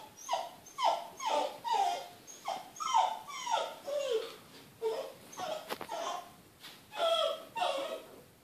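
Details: Indoor Smooth Fox Terrier crying to be let out after hearing children play outdoors, trying to soften those around it. A steady run of roughly twelve falling, nasal whimpers with one short click in between.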